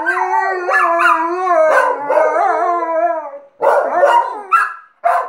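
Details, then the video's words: Two pet dogs howling together, an Alaskan Malamute and the second dog it has taught to howl. Long wavering, overlapping howls give way to shorter broken howls with brief gaps near the end. "Alaskan Malamute's Howling School"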